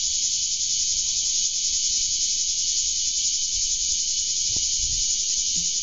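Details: Bear cicada singing from a garden rose bush on 3 August 2012: an unbroken, harsh, high buzzing hum with fast even pulsing, plus soft low background noise and a brief knock.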